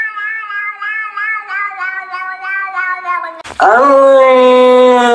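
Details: Domestic cat giving a long, wavering, pulsing meow for over three seconds, cut by a sharp click, then a loud, lower, strained and drawn-out meow.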